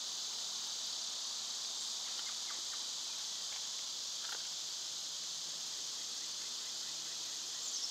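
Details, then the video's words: Summer cicadas form a loud, steady, high-pitched buzzing drone that runs unbroken through the whole stretch, with a few faint short chirps from other animals beneath it. "Birds & Squirrels w/ Cicada sounds"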